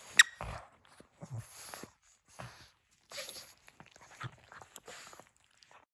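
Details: Nova, a female pug, playing with her crinkle toy indoors: short snuffly, breathy bursts separated by brief silences, mixed with crisp crinkling rustles from the toy.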